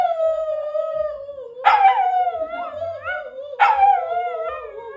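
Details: Dog dressed in an ambulance costume for Halloween, howling: a long sustained howl sliding gently downward, broken twice by sharper yelping onsets that start new wavering howl phrases, over faint low background noise.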